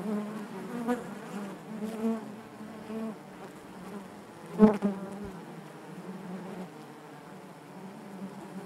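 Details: Inside a honey bee hive, a continuous low buzzing drone with stacked harmonics, interrupted by a few sharp clicks or taps, the loudest near the middle.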